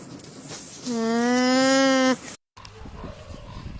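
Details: Alpaca giving a single steady, nasal, buzzy tone held for about a second and a half, followed by a brief silence and low background noise.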